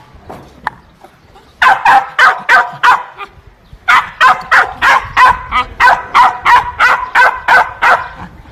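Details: Dogs giving a fast run of loud, harsh barks, roughly three per second. A single bark comes first, then a steady volley, a brief break, and a longer, evenly spaced series to the end.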